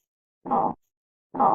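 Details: Armadillo giving two short, hoarse grunts about a second apart, each a rough burst of mid-pitched noise with dead silence between.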